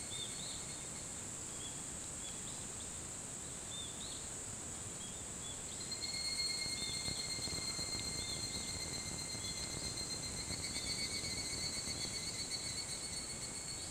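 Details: Evening cicada (higurashi) calling before dawn at 4:30 a.m. on 28 July 2011 on the Hitotsubashi University campus in Kunitachi, Tokyo. A rapid pulsed trill rises in loudness midway, set over a steady high insect chorus with faint bird chirps.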